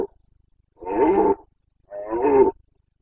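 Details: Rutting Carpathian stag (red deer) giving its boncănit in the Bucovina mountains during the breeding season, September 2022: two loud, gravelly roars of under a second each, about one second apart.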